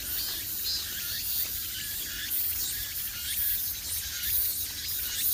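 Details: Cicada chorus in Gwangneung forest, Pocheon, Korea: a loud, steady high-pitched buzzing wall of sound with pulsing surges, plus a low background rumble.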